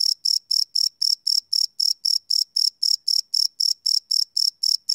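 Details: Night-time crickets captured live with a field recorder: a rapid, regular train of high, ringing chirps, close to four per second, roughly nineteen in a row, against an otherwise silent background.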